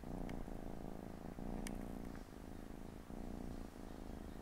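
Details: Siamese mother cat resting with her four kittens on a Saturday afternoon; loud, close, throbbing purr, low and buzzy, pulsing with each breath, short pauses between cycles, a couple of soft ticks.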